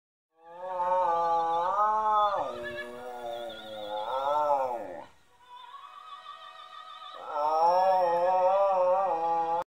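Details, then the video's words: Hannibal, a Shetland Sheepdog, singing opera: long, wavering harmonic howls that rise, hold and fall in two drawn-out bouts, with sustained music in the pause between them and continuing underneath. "Sheltie singing opera"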